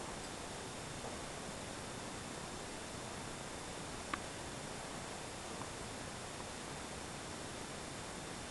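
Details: Steady broadband hiss fills the recording, with only a single faint click near the middle and no animal voice.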